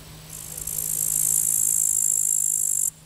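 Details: On the Vistula embankment at Zawadowski, 15 August 2021, a grasshopper gives a single intense, raspy high buzz of about two and a half seconds with a finely pulsing texture, ending abruptly.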